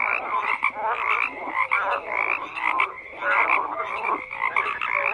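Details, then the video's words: Crowded frog chorus with rasping croaks swelling and fading in waves, short clicks and tonal blips scattered through a continuous wall of calling. "FROGS CROAKING"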